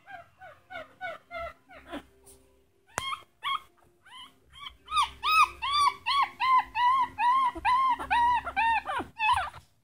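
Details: Teeny tiny purebred Chihuahua puppies from a litter of six, howling: a quick run of short, high, arched whining yelps, then louder, longer rising-and-falling howls pulsing about twice a second, with a sharp click near the third second.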